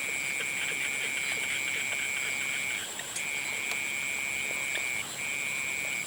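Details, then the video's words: At sunset, frogs give long high trills, one lasting nearly three seconds, then two more after short gaps, with a continuous thin high drone behind them. "Sunset sounds of frogs"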